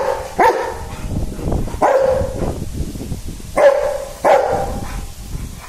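A Rottweiler gives deep, single barks spaced a second or two apart.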